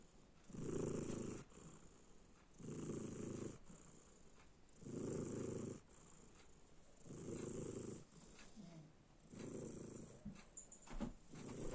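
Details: Snoring cat gives a regular series of five coarse, low, buzzing breaths about every two seconds, followed by a few faint rustles and small clicks near the end, with a steady hiss underneath.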